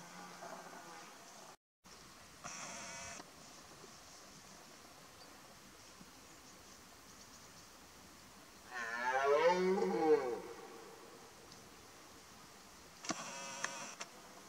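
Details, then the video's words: Red deer stag, a twelve-pointer, roaring during the 2018 rut: a single loud, deep, harmonic-rich bellow of about a second and a half rising then falling, with steady background hiss and faint buzzing bands before and after. "Rykowisko 2018 dwunastaki"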